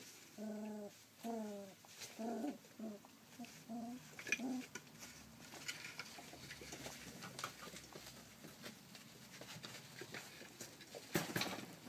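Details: Thirty-three-day-old Rough Collie puppy, recorded 28 July 2012, makes a quick burst of short, low, tonal whimpering calls in the first few seconds, then only soft rustling and tapping follow, with a sharp knock near the end.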